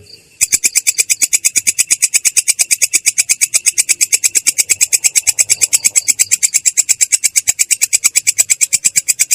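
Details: After a brief quiet moment, a katydid known locally as belalang kecek launches into its ngerol roll, described as clear and rough: rapid, regular high-pitched clicks, near three per second, sustained to the end.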